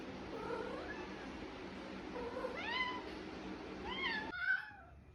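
A male Persian cat gives drawn-out, wavering meows with rising and falling pitch, a mating call.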